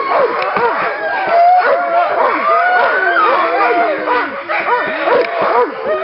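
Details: Many Nordiclight Alaskan Malamutes vocalising on a little run in February 2012: overlapping short wavering howls and yelps, with one lower drawn-out howl sliding slowly downward partway through.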